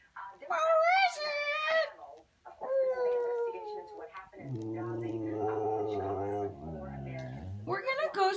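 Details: Khaleesi, a female Siberian Husky, talks indoors because she wants to go for a walk. Her wavering, yodel-like vocal phrases rise and fall. A lower, steadier droning voice follows in the middle. A woman's speech is also heard.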